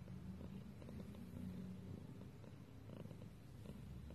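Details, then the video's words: Cat's low, even purr, a continuous soft rumble with faint rhythmic pulsing and a little background hum. "Cat purring compilation"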